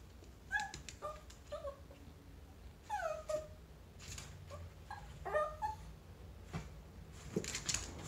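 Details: Whining Chihuahua meeting a chinchilla: quick, high, bending yelps come in bunches about every half second to a second, with rustling and knocking noises near the end.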